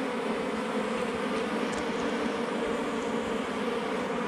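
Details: Wild honey bees swarming around a hive found under rocks in the forest during honey hunting, a dense continuous droning hum with steady low harmonics throughout and faint higher hiss above.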